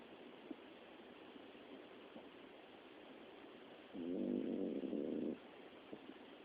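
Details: Dozing Miniature Dachshund, which snores often by day and by night; after a quiet stretch comes a single loud, grating snore lasting over a second, then soft hiss with faint small clicks.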